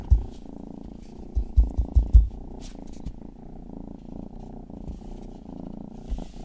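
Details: Close, even purring from Rangi, the youngest pet cat, recorded for ASMR: a low buzzing rumble with a few heavy thumps early on and faint licking clicks over the top.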